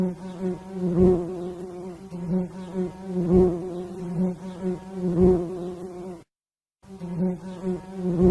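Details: Bee buzzing: a steady low droning hum with rich overtones, pulsing louder about every two seconds, broken by a brief silent gap near the end before the drone resumes.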